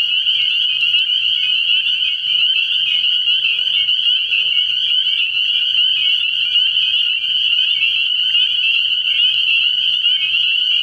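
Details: A frog pond at night in early spring, with a dense chorus of spring peepers: rapid, overlapping, high piping peeps form an unbroken shrill band, with faint low sounds below.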